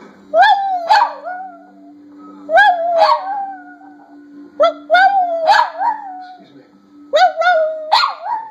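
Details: Silky Terrier Abby trading howls with her owner, giving clustered sharp yips that slide into long wavering whines, repeated in four bursts about two seconds apart over a steady low hum.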